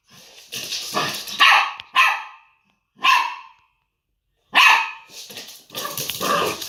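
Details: Young Maltese puppy standing up to a Chinese Crested, giving sharp high-pitched yaps in irregular bursts, some doubled, separated by brief silences, with rustling and movement noise around the barks.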